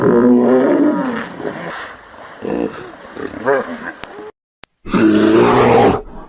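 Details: Hippopotamus giving deep, rough roaring calls with warbling harmonic arcs, a short dead-silent break near four seconds, then one more long harsh bellow.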